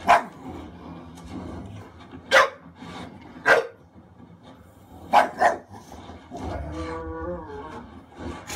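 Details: Khaleesi the English Bulldog guards Leonardo DiCaprio during the bear attack in The Revenant. Five sharp barks, two close together near the middle, then the film's drawn-out tonal sounds take over.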